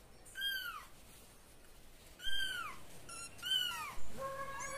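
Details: Kitten calling out when feeling insecure: about five high, thin meows spaced unevenly over five seconds, each a clear arching note that rises and then slides down, with the last one lower and flatter, over a faint steady hiss.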